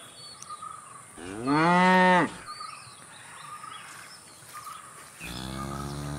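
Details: Cattle mooing: a strong, harmonic low moo lasting about a second that bends upward then down, with a second moo beginning near the end, over faint buzzing background hum.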